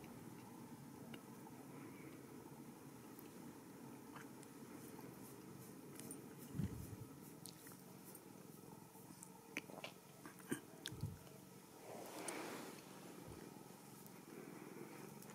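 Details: Ragdoll kitten at a home cattery in central Kansas, raised without cages, purring indoors: a soft, steady low rumble runs throughout, broken by scattered clicks, a few handling thumps and a brief rustling burst near the end.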